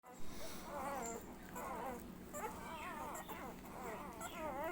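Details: Labrador Retriever puppy suckling milk, giving wavering, high whines that rise and fall in quick wobbling runs, nearly continuous across the stretch, over a steady low hum.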